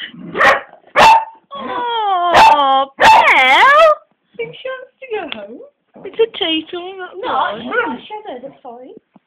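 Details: Beagle Bella worked up at Cassie, an old black labrador reluctant to play, recorded by phone: a few short barks, then drawn-out wavering whining howls, with speech and laughter mixed in.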